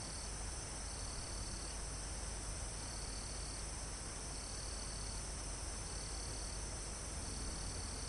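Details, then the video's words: Mountain forest insects near the summit, with crickets among them: shrill trilling bursts recur roughly every one and a half seconds above a continuous high-pitched insect hum, all set against a broad rushing wind in the trees. "Calm Forest in Mountain With Crickets, Insects Sound"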